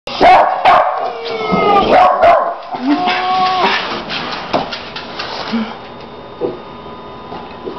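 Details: A dog gives sharp, high yipping barks in quick bursts at a crying dog playing in a video on a computer, the whining coming from the video.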